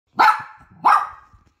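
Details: Young poodle giving two short, high yelping whimpers about half a second apart, each rising sharply then trailing off in a fading whine, in an otherwise quiet room.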